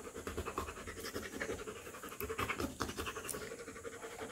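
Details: Three-week-old Rottweiler puppy panting: quick, soft breathy pulses repeating several times a second, with small scratchy rustles mixed in.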